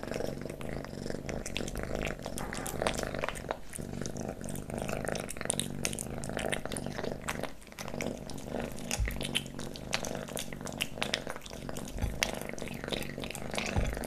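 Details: Kitten eating pate wet cat food, stick treats and creamy treats; constant wet smacking and licking clicks over a steady low hum throughout, close and intimate.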